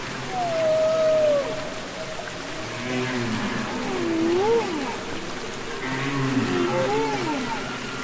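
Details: Humpback whale singing underwater, from the Capitol Records ST-620 recording: drawn-out tonal moans that slide down then up in pitch, with looping upsweeps and lower rumbling units overlapping against a hissing, watery background.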